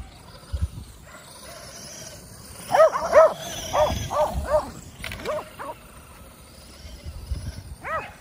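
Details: Kerry Blue Terriers, five dogs playing with an E Revo remote-control car at home, bark in a quick run of sharp yips around three to five seconds, then a lone bark near the end over motor and scrabbling noise.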